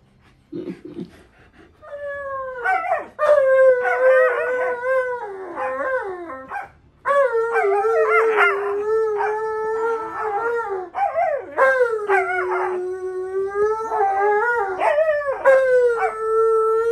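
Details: Monroe, a Siberian Husky, vocalising during tug-of-war play with another dog after losing. Long drawn-out howling whines hold steady, then bend and wobble in pitch, with quick yipping breaks. A short quiet gap comes early on.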